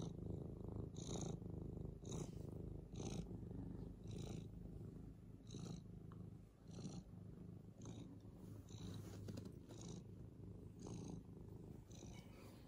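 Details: Senior adopted cat Frannie, playful as a kitten, purring loudly and steadily; a rich low drone pulses with regular in-and-out breaths roughly every second, with no other sounds competing.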